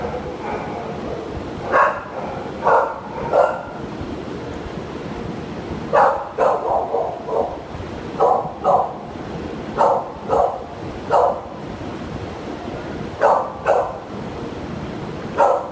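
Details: Shelter Shepherd named Toby, awaiting adoption in June 2015, barks repeatedly in short single and paired bursts every second or two, with a steady hiss underneath.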